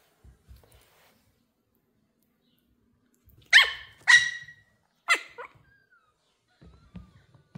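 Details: Pomeranian puppy, thrilled to meet new kittens for the first time, lets out three quick, sharp, high barks about half a second apart, then a soft thin whine, with light shuffling noises indoors.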